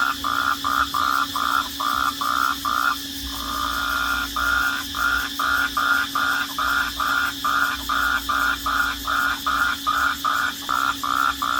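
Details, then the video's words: Crickets at night giving steady pulsed chirps, about 146 per minute, with a gap of about a second near the three-second mark, over a continuous high insect drone and low hum. "Crickets at night sound at Night"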